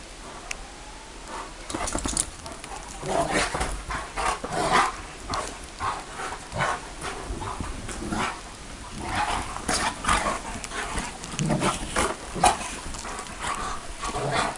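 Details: Bucovina Shepherd Dog barking in a long irregular series of short, rough barks spaced about half a second to a second apart, with a faint whine early on.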